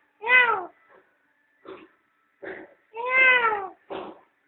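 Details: Mother cat and kittens sunning themselves at home; two long, arched meows with rich harmonics, interspersed with softer short mews, against near silence.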